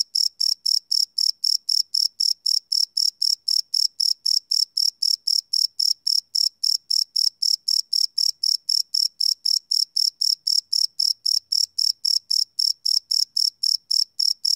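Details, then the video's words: Night-time crickets captured live, unlooped, with a Sony PCM D100 field recorder. A relentless train of shrill, buzzy chirps, close to four each second, keeps a constant loudness throughout with a quiet background. "Cricket Chirp Sound - Cricket Sounds at Night"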